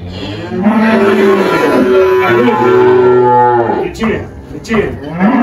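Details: Spotted Girolando cow Malhada, 18 years old, on a Goiás farm near Anápolis, Brazil, in early March 2023: a wavering drawn-out moo for about three seconds, a pause, then a rising moo starting again.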